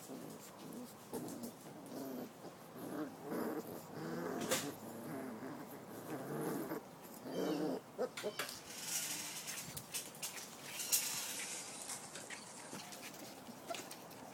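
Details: Puppies from a litter of Lucky and Amber during play time, giving soft whimpering and growling vocalisations in short bursts, with a person talking to them and scattered clicks and rustling.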